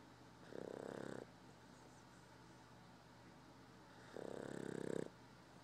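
A Boston Terrier snores in two long, rasping, buzzy bursts separated by quiet breathing.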